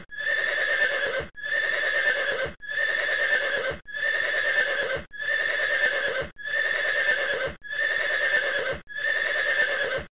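A horse's whinny, a harsh, quavering call repeated the same way about every second and a quarter.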